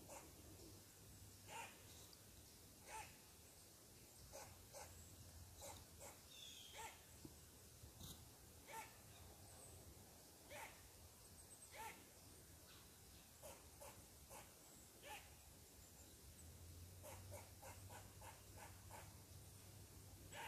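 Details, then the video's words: Mad squirrel scolding a person seated on its tree, with a long run of short rasping barks, irregular at first, then quickening into rapid clustered bursts toward the end, against soft outdoor hum and faint bird calls. "Mad Squirrel Barks at Me"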